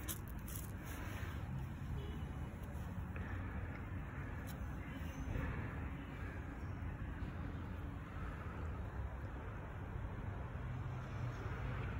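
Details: Steady low road traffic rumble outdoors in an urban street, with faint indistinct voices and no clear animal calls.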